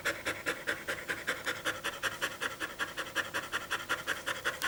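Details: Pet dog panting fast after a run in summer heat, recorded 21 April 2016: rapid, breathy, hissing breaths at about five to six per second, steady and even throughout, with no other sounds.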